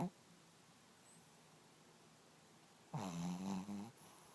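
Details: Poppyseed, a napping Pekingese and Chihuahua mix, gives one long buzzy snore of about a second with stacked harmonics after a quiet pause, with faint room hum.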